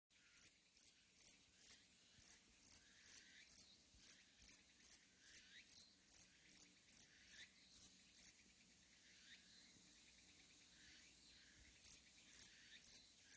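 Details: Metrioptera bonneti bush-cricket, recorded 13 August 2021 in Jeongseon, Gangwon, South Korea, sings a steady run of short, high, hissing chirps, about two each second.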